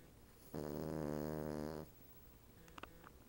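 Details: A female Cavalier King Charles Spaniel, napping on the back of a couch with a Siamese cat nearby, gives one long, low, rattling snore on a single drawn breath.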